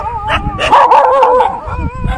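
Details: Near Besant Nagar beach, a street dog and a Labrador fight: harsh barks and yelping, whining tones overlap in a dense burst, with many dogs around barking.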